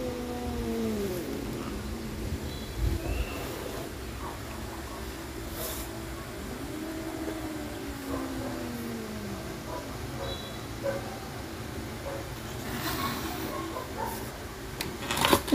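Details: Two adopted pet cats, Adi and Asia, a couple fighting each other: drawn-out, arching, moaning yowls rise and fall in several long rounds, with a low steady hum underneath and a few sharp knocks near the end.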